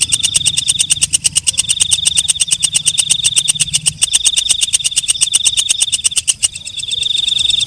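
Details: Walang kecek (night grasshopper) stridulating in a long, rapid series of loud, dry pulses with a steady shrill ring underneath, low background rumble early on, the pulsing dropping away near the end leaving a quieter continuous tone.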